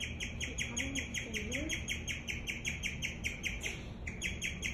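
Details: A female guinea pig chirps steadily, a high, bird-like tweet repeated several times each second; her owner wonders whether she is scared.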